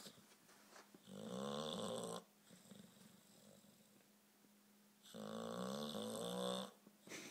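Two long, rough snores from an English bulldog fill the room, each a rattling, harmonic rasp lasting about a second. Softer, wheezy breathing fills the gaps between them.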